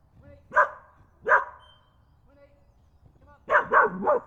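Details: A dog in UK woodland barks at a photographer sitting on a log; two sharp separate barks, a pause, then a quick triple burst of barks, with faint bird notes between.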